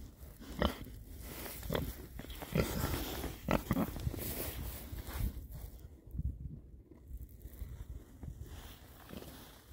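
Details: Oxford Sandy and Black pigs, rare breed, six boys enjoying a winter forage between storms; short low grunts roughly every second, with chewing and crunching between them, quieter toward the end.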